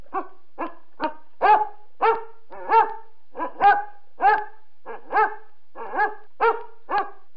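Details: A dog barking in a steady series of short, sharp, mid-pitched barks, about fifteen in seven seconds, some louder and some softer, with no other sounds.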